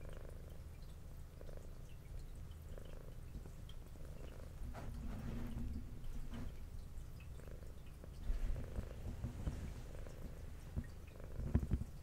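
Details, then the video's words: Brown tabby cat with white underside, adopted as a two-year-old, purring while eating indoors; a quiet rhythmic low purr swelling and fading with each breath, joined by louder chewing crunches near eight and eleven seconds. "Cat Purring"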